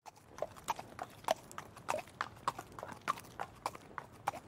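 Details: Horse trotting, its hooves knocking in a steady clip-clop of clear, hollow strikes, roughly three to four per second, with a soft low background.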